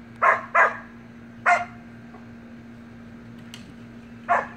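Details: Samoyed puppy and siblings playing in the pool yip in a quick pair, a single bark, then another after a pause, irregular high-pitched puppy barks over a steady low hum.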